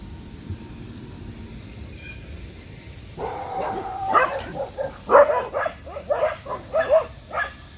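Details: Border Collies from a disc-dog family in Yeoju clamouring to have the door opened during a summer heatwave; quiet background for three seconds, then a burst of sharp mid-pitched barks, roughly one per second, growing louder.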